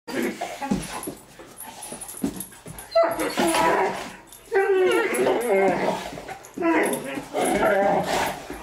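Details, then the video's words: Great Danes playing together indoors, taking over the house: bursts of whiny, harmonic yips and growl-like cries in three main outbursts, with people's voices in the background. "Great Danes playing"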